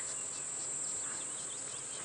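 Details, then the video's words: Chorus of cicadas, said to come out only on very hot days, heard at dawn on a safari drive in Djuma Game Reserve, South Africa, October 2016: a continuous piercing high drone with faint brief bird whistles mixed in. "And I don't know if you can hear the cicadas, but they're starting to chirp."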